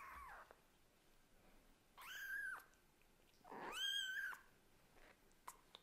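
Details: Kitten of a Scottish Fold mother and British Shorthair father calling insistently to its mother cat; two drawn-out, harmonic meows, the second louder and longer with a rising then falling pitch, separated by quiet pauses.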